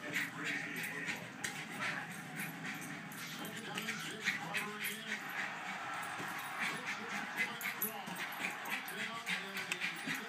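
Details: Betsy, a Jack Russell Terrier, plays with a balloon she loves to pop, giving rapid high whimpers and short yips over squeaky rubbing, with people talking in the background.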